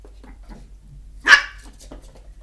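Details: Rambo, a 13-week-old Chihuahua puppy seeing a mirror for the first time, barks at his own reflection. A single sharp, high yap bursts out mid-clip, surrounded by soft indoor shuffling and quiet.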